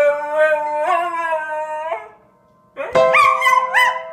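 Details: Female pet dog howling in song to a piano tune she demands by hitting the keys with her head; a long sustained howl stepping upward, a brief quiet pause, then higher rising howled notes.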